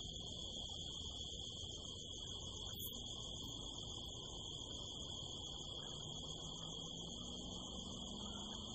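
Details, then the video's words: Night-time crickets on a California desert hillside beneath the harvest moon give a continuous shrill, even-pitched ringing with a faint higher overtone, laid over a dull low-frequency murmur. "the sound of crickets"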